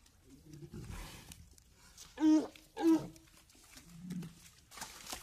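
Two loud, harsh, harmonic bellows from a walrus come about half a second apart, each short and strained. Softer low grunts and rumbles sit around them against a quiet background.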